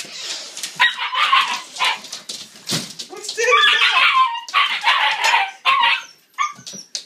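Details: A baby Siberian Husky puppy, Anya, waiting to eat, gives a run of high, wavering whines and yips, with people talking nearby.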